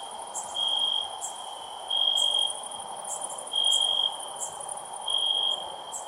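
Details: Cricket chirping loudly, high pure trilled bursts about half a second long recurring every second or so against a continuous thin high-pitched hum.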